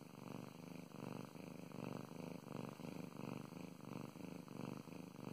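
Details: Pet cat purring while being petted, a deep rhythmic rumble pulsing about one and a half times per second in an even inhale-exhale pattern, with faint stroking sounds.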